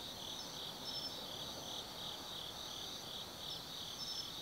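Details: Autumn insect music in the woods of Tsukimi Forest, Kaizu, Gifu, at night: a constant high metallic trill with regular pulsing and occasional sharp short chirps, faint ambient rumble underneath.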